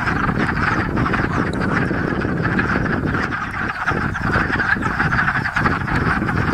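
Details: Massed wood frog chorus at a spring breeding pond in Enosburgh, the overlapping clucking croaks partly masked by heavy low wind rumble across the microphone.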